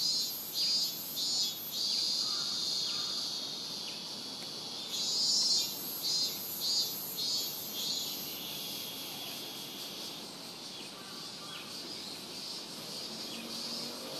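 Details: Robust cicada singing at Rokugo Shrine, Ota ward, Tokyo, Japan; cicadas started around July 20 that year; Sony PCM-M10 recording. Loud high buzzy pulses repeat in a loosely regular series, then give way to a continuous shrill background chorus.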